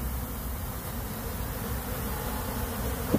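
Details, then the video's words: Honey bees escaping from a box they were trapped in, hot, with melted honeycomb; a steady low dense buzzing of many bees throughout. "bees exploded out of this box they were trapped in"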